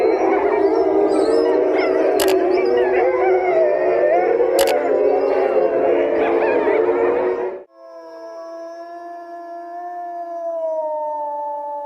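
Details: Wild wolves in Iran howl in a dense chorus together, then a lone wolf gives a long, steady howl.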